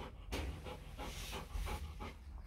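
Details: Rottweiler litter, four days old, sired by Vietnamese champion Loki Gervi out of Faye: rhythmic huffing breaths in quick succession, each a short airy burst, with a low rumbling background.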